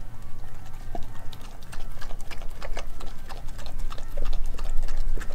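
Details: Australian Kelpie–German Shepherd mix dog eating raw beef liver, beef heart, chicken feet and chicken thigh. Dense, rapid, wet crunching and chewing clicks continue without pause over a steady low hum.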